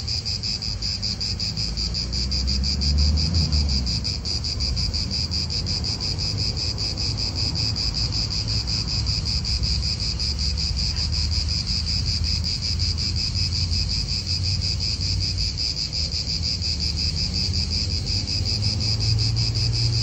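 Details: Cicadas calling in an Italian park, their loud, high, pulsing buzz holding steady for twenty seconds against a constant low rumble of wind and nearby cars.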